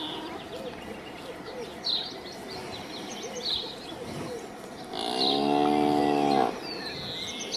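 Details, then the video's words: Single cow moo lasting about a second and a half, a low, steady, harmonic-rich lowing that ends abruptly, over a noisy outdoor background with scattered high bird chirps. "Suara SAPI mooo | Cow mooow Sound effect"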